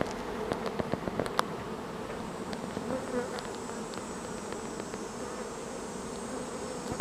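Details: Honeybee swarm moving in at a beekeeping site: a dense, steady droning hum of many bees, with occasional sharper buzzes as individual insects pass close, continuous throughout.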